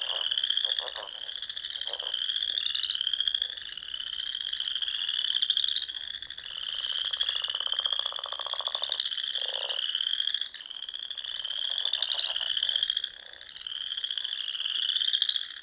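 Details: Many frogs singing on a spring evening in the Nebraska Sandhills lakes and ponds: rapid rising trills repeated over and over in a dense chorus, broken by a few short lower croaks and brief dips in loudness.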